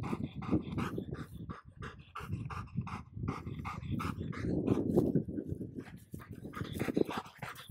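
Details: Excited panting from a Golden Retriever and a Border Collie, childhood friends meeting again after a long time apart. Fast, uneven breathy pants run almost nonstop, with some faint tonal whines mixed in.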